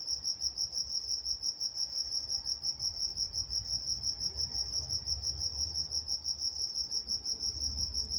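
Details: Crickets chirping at night in Walnut, California: a continuous high, pulsing chorus of rapid chirps, about three per second, steady and dense throughout, with a faint higher band above and soft low rumble beneath.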